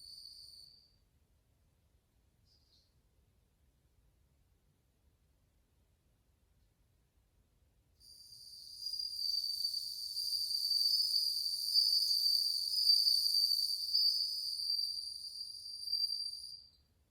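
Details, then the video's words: A crowd of bell crickets in August 2020, their tones called cool: a short high ring at the start, several seconds of silence, then a sustained bright trill with overtones from eight seconds, fading just before the end. "鈴虫の鳴き声 スズムシ音色４"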